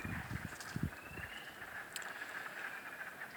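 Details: A distant chorus of spring peepers at a half-bog wilderness pond in the afternoon, a steady shimmer of high peeps under low rumbling noise.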